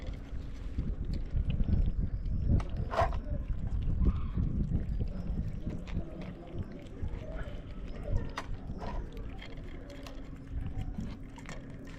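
Low rumbling noise and a steady hum fill the recording, with no clear animal call.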